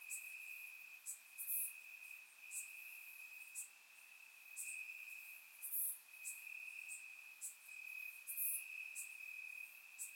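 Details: Crickets chirping in grass at night in summer, Bulgaria, surround recording: a softer, even high trill running throughout at a single pitch, overlaid by regular brief sharp hissy ticks every second or so.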